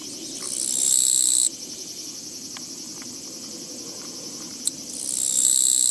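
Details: Japanese katydid along a walking path on 24 August 2017, producing two rasping, high buzzes roughly four seconds apart, each swelling and then cutting off sharply, over a steady insect hum and low background noise with one brief click.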